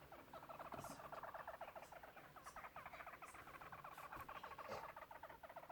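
A hamster gives rapid, rattling trains of squeaky pulses, almost like a chattering croak.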